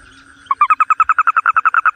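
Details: Toad call: a rapid run of strong, regularly spaced pulses starting half a second in and continuing steadily, with a faint lower hum before it begins.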